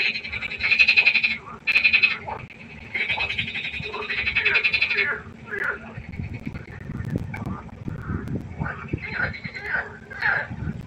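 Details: Frogs croaking at night by the pond: loud, close, harsh pulsed calls in long bursts of up to a second and a half, then quieter distant croaks and low rumbling in the later part.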